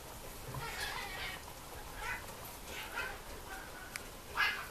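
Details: Mame Shiba puppies, two females, at a breeder's kennel: soft, high whimpering squeaks come in short harmonic bursts spaced about a second apart, fairly faint against a quiet room background.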